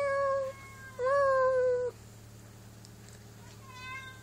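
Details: A held house cat and another cat exchanging calls indoors: two clear meows in close succession, the second longer with a slight rise, then a fainter, shorter meow near the end over low room hum.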